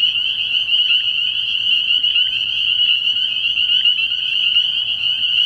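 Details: Many spring peepers at a nighttime frog pond early in the year, their shrill, high peeps merging into one constant ringing chorus with slight pulsing in intensity.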